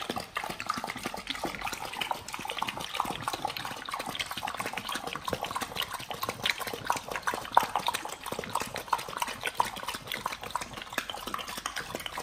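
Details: Pit Bulls on a raw diet eating beef, quail eggs and duck wings; steady wet mastication with rapid smacking about one and a half times per second, plus occasional crunches, without pause.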